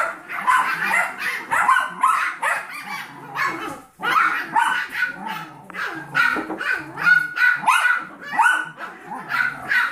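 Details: Seven-week-old Yorkshire Terrier foster puppies with their mother, playing alongside a 15-week-old Golden Retriever mix foster puppy; rapid high yips and small barks in dense overlapping bursts, brief pause near the four-second mark.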